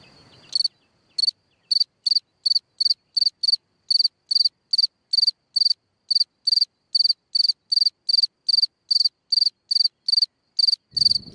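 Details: Cricket singing from a hole in the ground at night, loud pulsed chirps at a steady high pitch repeated about twice a second, with brief low rumbling noise at the start and end.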